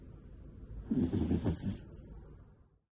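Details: Koharu, a pet cat sleeping soundly, gives one rough, raspy snore lasting about a second, a fluttering low rattle with a breathy hiss, then quiet.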